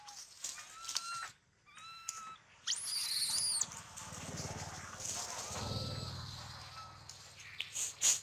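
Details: Squealing from an injured baby monkey, its leg badly bitten by a big male: one loud, high, harmonic arching cry, then quieter thin tones over steady background noise and scattered clicks.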